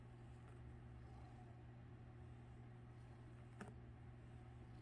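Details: While its tail is toyed with, a domestic cat keeps up a low, even purr pulsing gently with its breathing, under a steady hum, with a brief sharp tap shortly before the end.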